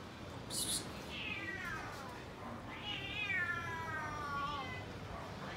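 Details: Cats and kittens waiting for tasty food: a short high squeak, then two drawn-out, wavering meows, the second long and falling, over a quiet background.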